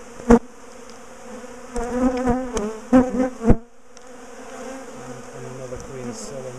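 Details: Honeybee colony being taken apart and moved from its top bar hive; a sharp buzz burst at the start, then several loud passing bees around two to three and a half seconds, fading to a softer steady hum with short low tones.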